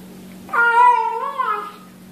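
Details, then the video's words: Single cat meow while eating, said to sound like yum yum yum: a clear, sustained harmonic call that holds steady, then dips and rises slightly before fading, under a quiet background hum. "面白い猫と子猫を食べながら鳴きながらYUM YUM YUMを言って"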